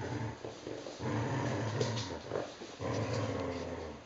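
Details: Vizslas in a tug-of-war over a toy monkey, growling in deep, continuous rumbles broken into three or four long stretches with brief pauses, the growls swelling slightly in the middle of each stretch.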